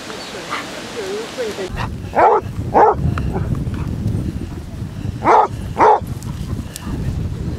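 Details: Basset Hound barking on the 100th group walk, 23 Basset Hounds covering 5 miles around Ham Hill, Somerset; four loud barks come in two pairs about half a second apart, over background voices and low wind rumble.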